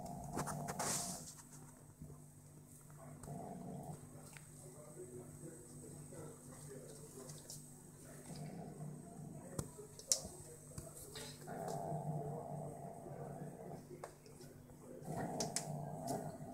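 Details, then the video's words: A 5-month-old British Shorthair kitten growling like a dog: a low, steady rumbling growl that swells rougher and louder at the start, around three to four seconds, and again near twelve and fifteen seconds, heard indoors. "British shorthair cat MiuMiu (5 months old) growling like a dog."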